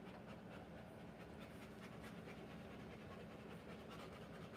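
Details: A Rottweiler in labour, delivering puppies, pants in a quick, even rhythm of airy breaths. The huffs blur into a continuous rasp over a faint steady low drone.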